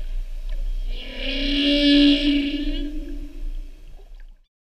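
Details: A North Pacific humpback whale sings during the 2015/2016 mating season, recorded off Oahu in 2016: a long, moaning tonal unit that swells and then fades.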